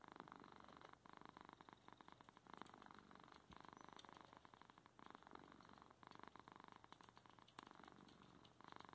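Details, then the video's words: Indoors, a male house cat purrs while blocking his owner's keyboard during home working; continuous, evenly pulsed low rumbling with brief breaks between breaths. "Two minutes of our cat Garth purring while I'm trying to work"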